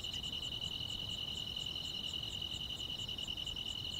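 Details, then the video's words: Grass insects chirping on a summer night, a dense high continuous trill with quick, evenly spaced pulses about four to five per second layered on top, little else audible beyond a faint low murmur. "여름밤의 포근한 풀벌레 소리"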